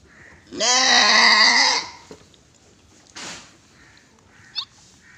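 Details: A single goat bleat lasting over a second at a goat farm in Gulbarga, Karnataka, India. The call is steady and quavering with a bright nasal tone, followed by a brief noise burst and soft clicks.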